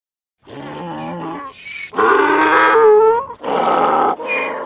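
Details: Donkey bray that starts with low, rough grunting notes. It swells into loud alternating hee-haw cycles, a strained rising drawn-out blast followed by harsh shorter pulses, and ends on a high wheeze.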